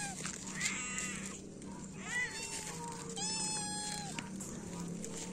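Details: Feral cats, three adults and one kitten, being fed in the morning: a series of four drawn-out, tonal meows, some rising then falling and the last held longer, over a steady low background hum.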